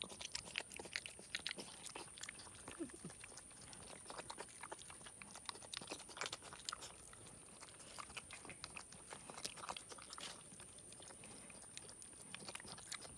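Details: Young boar of around five months, rescued from off a road, chewing leftover chocolate donut glaze inside a room; continuous comical smacking, slurping and crunching clicks, loud bursts near the start, with a faint high hum throughout.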